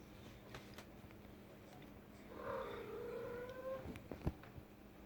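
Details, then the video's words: A female pet cat indoors in a room, making noise: one drawn-out meow, a low tonal wail that bends and lingers for over a second with a clear overtone, then soft room sounds and a sharp tap. "My cat making noise"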